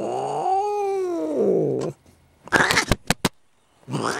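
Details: Domestic cat named Jinxie, hiding under a chair while being pulled out, lets out a long wailing yowl rising then sagging for nearly two seconds, followed by sharp scuffling noises and a renewed moan.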